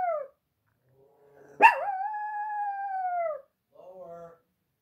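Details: Pet dog howling after an ambulance passed by: one long, steady, mournful howl of about two seconds that sags slightly at the end, bracketed by shorter, quieter wavering howl fragments.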